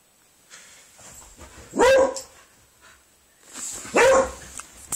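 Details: Spaniel and Beagle dogs at play, trying two different games together; two loud, sharp single barks about two seconds apart, with a steady high whine and soft rustling in the background.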